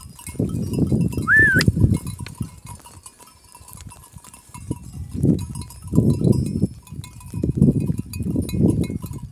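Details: Kangal sheep with lambs in Kayseri, Turkey: bursts of low bleating at irregular intervals, a short whistled rising-falling note early on, and a constant high tone in the background.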